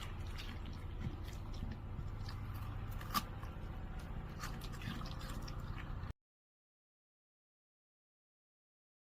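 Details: Wet dripping and squishing sounds with low rumbling background for about six seconds, then silence, with no animal calls.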